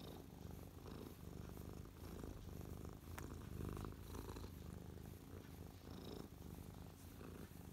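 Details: Happy house cat Mia, lying on a lap on 12/12/2023, gives a close, low buzzing purr that swells and eases with her breathing; a brief click and faint rustle.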